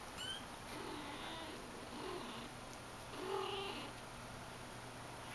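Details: Persian kitten named India, four to five weeks old, giving soft, short mews: a thin high-pitched cry at the start and a lower, drawn-out mew about three seconds later, over a steady indoor hum.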